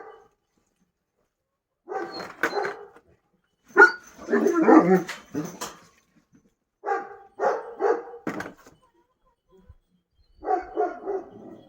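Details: Kangal dog on a livestock farm at feeding time, giving four bursts of short, rough barks spaced across about twelve seconds, with quiet gaps between the bursts.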